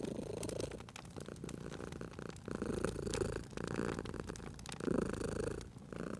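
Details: Sleeping cat purring beside a crackling fireplace in a cozy spring setting; a low, rumbling purr swells and fades in breath-length bursts, with sharp pops and snaps of burning wood throughout.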